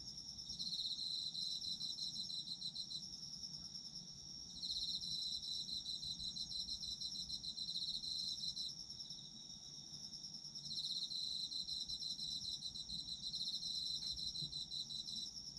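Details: Autumn insects calling for sleep-time listening: a dense high chorus of chirps and trills, several callers overlapping, one steady pulsed trill with brighter bursts surging in and out every few seconds over faint low background hiss.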